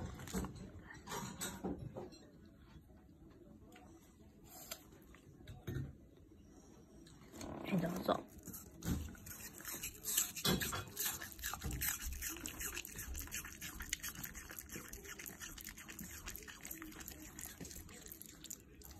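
A Shiba Inu crunches noisily on apple, with irregular, crisp bites and a person talking nearby.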